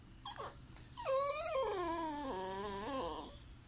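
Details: An indoor female Chihuahua mix whines back while her owner talks to her: a long, drawn-out, wavering vocal whine that rises, dips and steps down in pitch for over two seconds, with a short squeak before it.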